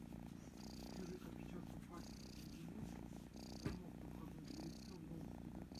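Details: Female kitten purring loudly as it is petted and scratched behind the ear; continuous deep vibrating purr with breath pulses recurring about every second and a half, soft female speech and one brief click.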